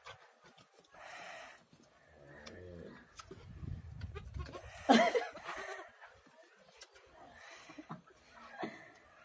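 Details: Orphaned goat kid bleating: one loud, wavering, harmonic bleat near the middle stands out, with fainter bleat-like calls and rustling handling noises before and after in a quiet setting.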